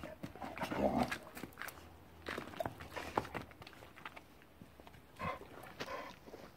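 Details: Playing pit bulls, two females, trade rumbling growls and snorts early on, then brief grunts among scuffling paws and footsteps, with occasional quiet human voices in the background.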